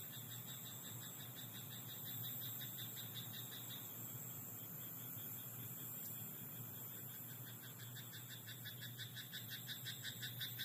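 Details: Croaking frogs in a rice paddy at night: a short run of rattling pulses at the start, then a longer, denser pulsed chorus from about six seconds onward. A high continuous whine and a low hum sit behind them.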